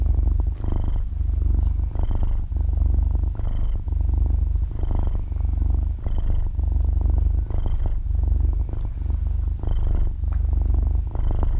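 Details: Young kitten, about half a year old, purring in deep sleep, belly up and stretching paws, recorded at very close range: deep vibrating rumble pulsing with regular breaths around every 1.4 seconds, no other sounds.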